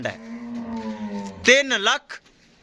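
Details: Jersey Friesian cow offered for sale at Bunga Hayat, Pakpattan, Pakistan, giving a steady, low, droning moo of about one and a half seconds, followed by a short, higher, wavering voice.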